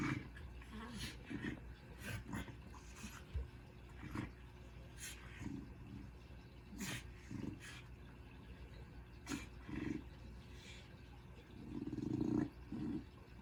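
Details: Very relaxed, overweight female dog snoring while asleep: low rumbling snores with soft breathy bursts at irregular intervals, one louder snort near the end.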